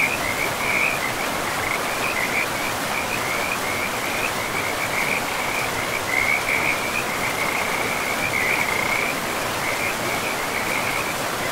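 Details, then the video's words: Along a river in a pristine forest, frogs keep up a near-continuous high, pulsing trill chorus, bursts overlapping throughout, while broad rushing water sound fills the background. "River and Frogs sleep sounds"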